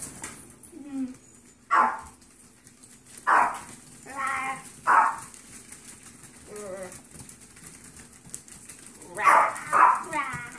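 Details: Yorkshire terrier foster puppies during a last playtime before leaving for new homes; short high yelps and whiny barks at irregular intervals, some paired, over a quiet indoor background.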